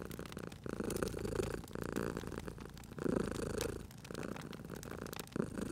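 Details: Purring of a sleeping cat near a crackling hearth in cozy spring ambience: a deep, buzzing drone pulsing in slow waves, overlaid by scattered clicks and pops from the fire.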